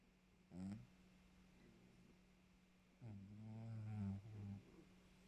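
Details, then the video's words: Maxou the pet cat snoring after exercise: two low, rough breaths with stacked harmonics, one short and one longer double snore about 2.5 seconds later, over a steady faint electrical hum. "Maxou qui ronfle après son sport"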